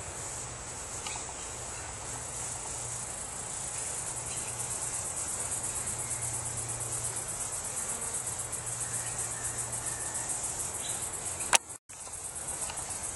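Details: Cricket with a bright green belly, filmed up close: a steady, high-pitched, shrill trill runs almost unbroken for the whole stretch, with a low electrical hum underneath and a brief click near the end.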